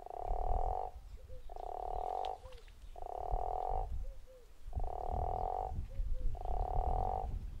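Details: Zeekoevlei guttural toad calling five times in under eight seconds. Each call is a steady, rasping snore of roughly one second, with small chirping notes in the gaps and a low background rumble.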